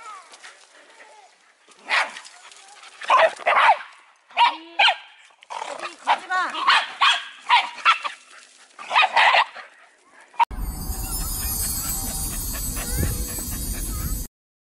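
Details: Korean Wheaten Terrier, indoors and upset at missing his dog friends during Covid-19 restrictions, gives loud repeated barks in bursts over about ten seconds while a woman tells the dog to stop barking; a loud hissing noise follows.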